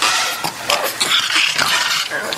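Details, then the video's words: Angry pet dog indoors, resisting ear medicine, giving a continuous harsh, raspy snarl broken into short uneven pulses, with faint clatter in a small room. "Angry Dog Makes Angry Noise"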